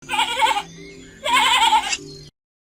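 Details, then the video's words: Sheep giving two loud, quavering bleats about a second apart, each harsh and buzzy, with a faint steady low hum running underneath and briefly between them. "efeitos sonoros de ovelha - Sound effects of sheep"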